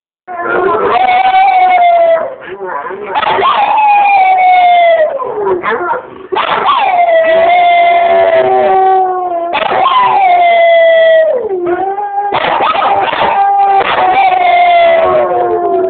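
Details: Two springer spaniels howling together, long sustained wavering tones that slide downward at the ends, in drawn-out bouts of two to four seconds separated by short breaths and yips; recorded on an Android phone.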